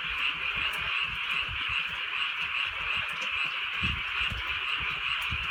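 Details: Frogs in a rainy rural night, one nearer voice giving bright pulsed croaks about three times a second above a thick background chorus, with low thuds of raindrops throughout.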